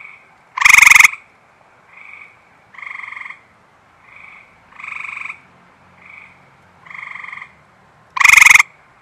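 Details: On a warm, humid 73°F night just after rain, at a water reservoir in Michigan, an Eastern Gray Treefrog gives loud, short musical chirping trills close by, with many others and softer calls between.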